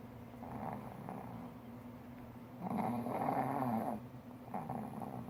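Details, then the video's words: Four-year-old male pug snoring while napping comfortably on a lap as its owner works at a computer. Soft, rasping breaths rise and fall, with a louder, rougher snore around the middle; a man's voice speaks right afterwards. "Yoshi the pug snores so loud!"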